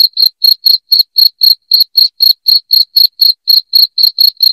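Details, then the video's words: Loud cricket chirping, offered as a sound to drive rats out of the home: short, high, shrill pulses repeated about four times a second in a steady, even rhythm, with no other sounds. "SUARA JANGKRIK NYARING"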